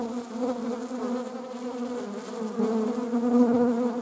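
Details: Honeybees, shown alongside wasps, give a steady droning buzz with layered harmonic overtones. The hum is even at first, then swells louder over the last second and a half.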